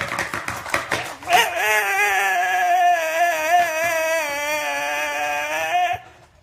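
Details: Pet Staffordshire Bull Terrier reacting as people count down from three in Danish; brief speech, then a long, steady, wavering howl lasting about four and a half seconds before it stops abruptly.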